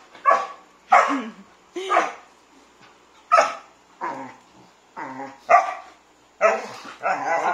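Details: Three sibling Labrador mixes, small, medium and large, playing together indoors; sharp barks repeat roughly every second, some followed by low growly tails, ending in a rougher, broader bark.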